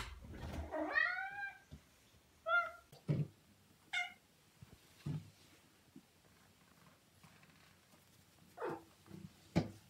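A Siamese cat lets out a drawn-out, bending meow, followed by two brief, higher meows a few seconds apart. Soft knocks and handling noises from a small indoor room fill the gaps.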